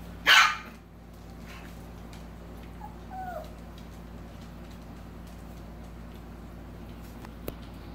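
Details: Dog indoors where seven-week-old puppies and their mother are kept around a playpen: a single sharp, loud bark right at the start, then a faint brief rising-falling whine a few seconds later over steady room hum.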